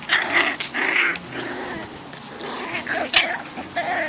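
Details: Swedish Vallhund puppies, five to six weeks old, in a litter of ten: high, thin yips and whining squeals come in short bursts, with scuffling and a person's voice now and then.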